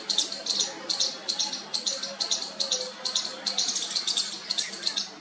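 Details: Baby squirrel attempting its first call to its mother: a rapid run of high, scratchy chirps, about two to three per second, uneven in spacing and loudness, over a faint low hum.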